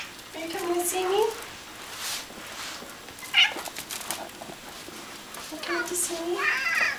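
A Bengal cat meows in long, bending tones that climb and then drop, followed by a short chirp-like note. A second, more nasal meow closes the sequence, with faint human voice in the background.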